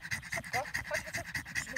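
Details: Amstaff working in protection training, quick rhythmic panting with short breathy pulses about five per second, some faint vocal squeaks mixed in.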